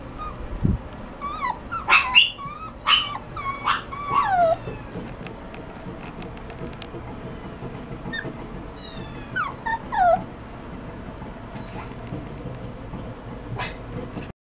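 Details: Miniature dachshund puppy giving high, sliding, whining yips in a quick cluster over the first five seconds, then a pause, then a few more scattered yelps near the end.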